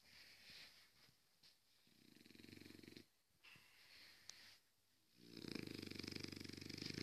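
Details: French bulldog snoring while asleep: rough, rapidly pulsed snores in drawn-out breaths, separated by quieter pauses, with the loudest snore closing the stretch.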